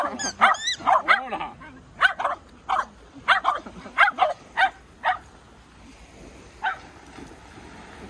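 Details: Shetland Sheepdog barking while playing at the sea: a string of short, sharp yapping barks over the first five seconds, then quieter background with a faint voice.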